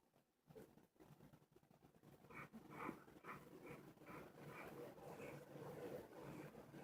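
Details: Rescue dog at a snoring contest, described as a deep, noisy snorer; rhythmic rasping snores repeat roughly every half second, with faint room noise and announcer speech before.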